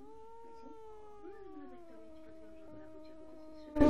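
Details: Pet sphynx cat making its usual weird sounds indoors: one long, drawn-out, tonal yowl that slowly slides lower over nearly four seconds, ending in a sudden loud noise.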